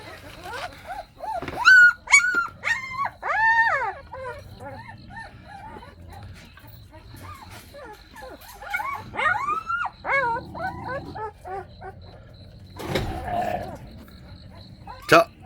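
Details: Lively, active Jindo puppies, the litter of a dog named Baekhyang, give high whiny whimpers and short yelps in quick clustered bursts, falling quiet midway, then another run of whines, with a thump and rustling near the end.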